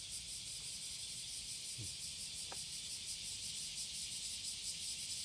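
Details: Cicada courtship song recorded July 30, 2017, in the morning at Passage de la Duee: a loud, rapidly pulsing high buzz with a throbbing rhythm, plus one faint short low sound midway.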